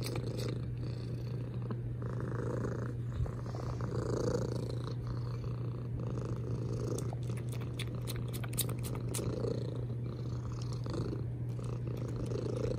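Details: Deep, even purr of a domestic cat, its loud rumble pulsing with each inhale and exhale, with a run of crisp kissing clicks near the middle.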